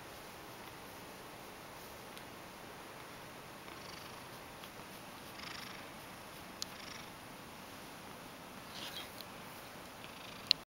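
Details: Ragdoll cat named Mojio purring indoors in dim early-morning light while being stroked, in an affectionate mood; a soft, steady low rumble runs throughout, with faint rustles and small clicks in the background.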